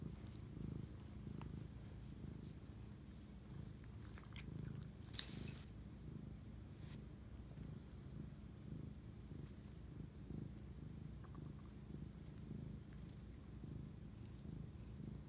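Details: Soft, low domestic cat purr recorded at 11:07 pm on 25 March 2019 during night-time bonding, a steady rumbling pulse with one sharp, loud rustling burst about five seconds in.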